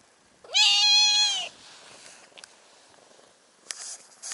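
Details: A stray brown tabby cat on a cat island, asking to be lifted onto a lap, gives one loud, drawn-out meow lasting about a second, steady and then falling slightly, followed by soft rustling and a few faint clicks.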